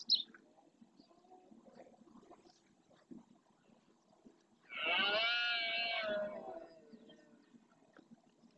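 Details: Red deer stag during the rut in the Doñana National Park marshland, Spain, roaring to claim territory: one loud, rich, groaning roar of about two seconds, preceded by quiet background with faint scattered noises.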